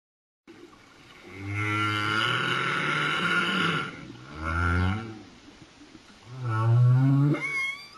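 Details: Humpback whale song recorded underwater off Réunion Island: long, deep, harmonic moans that waver and bend, repeated in separate phrases.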